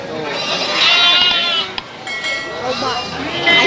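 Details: Goats at a livestock market in Citeko, Plered, Purwakarta, Indonesia, bleating in wavering, quavering bursts, one strong bleat early and another near the end, with people talking throughout.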